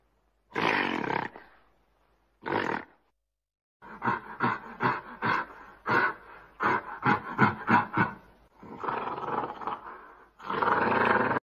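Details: A gorilla in a tropical forest gives harsh, rasping roars broken by a quick run of sharp, loud pulses.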